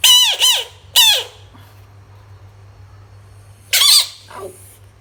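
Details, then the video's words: A frog gives three short, shrill squeaks. The first is a quick double note at the start, the second comes about a second later, and the third arrives near the four-second mark. Each note bends downward and rings with layered overtones. Long quiet gaps separate the squeaks, with a low steady hum underneath. "Funny frog sounds cute frog"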